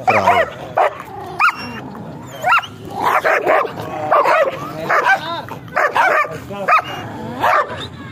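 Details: German Shepherd with a heavy stock coat, barking in short repeated bursts, some yelping and whining notes between barks, several barks overlapping as if more than one dog is calling.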